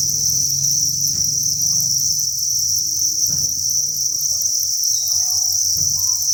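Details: Farmed crickets in large numbers at a breeding facility produce a continuous high, pulsing trill chorus, overlaid by low rumble and a few short knocks and taps.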